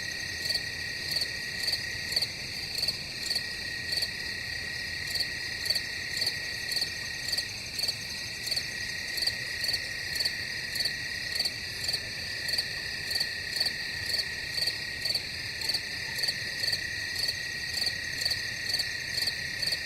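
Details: Crickets in a dense chorus: a steady, high, continuous trill layered with short, sharp chirps that pulse regularly about twice a second for the whole stretch. No other sounds intrude.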